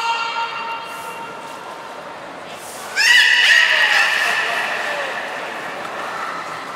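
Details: Captive belugas Nana and Niko in training at Port of Nagoya Public Aquarium, Japan, on 7 October 2018. After a faint opening, a sudden loud, drawn-out squeal with rich overtones starts and slowly fades.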